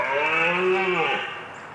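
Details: A red deer gives a single deep, drawn-out bellow, rich in harmonics, sliding slightly downward over about a second before fading.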